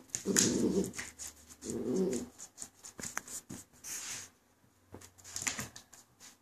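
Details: Two short rumbling growls come from Coconut, a two-month-old female Border Collie pup facing her reflection in a mirror indoors, over a background of hiss, rustling and faint tapping.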